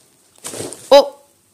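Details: Staffordshire Bull Terrier Lola, 14 months old, indoors at bedtime refusing to go to bed, gives a short, harmonic, slightly wavering whine after a burst of rustling, while being coaxed to bed.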